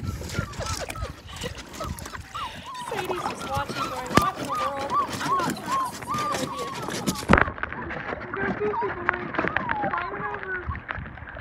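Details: Six five-week-old Labrador Retriever puppies in the baby pool where they were born, now filled with water for play: rapid bursts of high, bending whimpers and squeals, overlapping a person talking and water sloshing.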